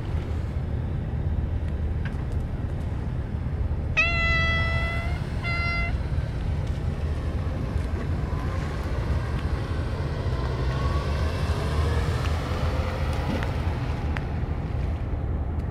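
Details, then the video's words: Stray cats, more gathered than usual, being fed only churu treats after the Kalkan food and dishes were forgotten; two clear meows in quick succession, the first longer, the second short, over steady low rumbling background noise. "かわいい猫たちがいつも以上に集まってたけどカルカン(kalkan)とお皿を忘れてちゅ～るだけ給餌する 野良猫"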